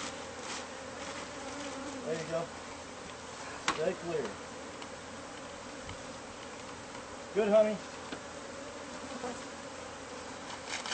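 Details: Bees buzzing inside the wall cavity of a house whose new owner had not known of the hive, recorded as it is removed. A soft, even drone runs throughout, with brief louder bursts near four and seven seconds.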